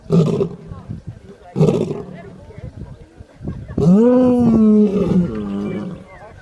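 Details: Lion giving two short, deep grunts, then a long, loud, moaning roar that rises and holds steady for about a second, rich in harmonics, before trailing off into softer rumbling.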